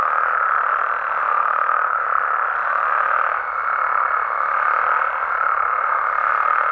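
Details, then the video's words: Mexican frogs and toads at night, heard as a steady overlapping croaking chorus; about halfway through a thin, level higher tone joins and holds above the din until the end. "Mexican Frogs & Toads Sounds"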